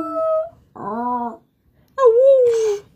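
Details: Eight-year-old female Miniature Pinscher indoors, howling when her owner howls: a steady mid-pitched tone, a lower wavering human-style howl, then a drawn-out gently falling howl lasting about a second, separated by short silences.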